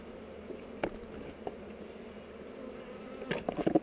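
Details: Honey bees in a hive on heather, recorded on a GoPro during an inspection: a soft background drone, knocks from handling, then a louder buzzing burst near the end as a bee comes close.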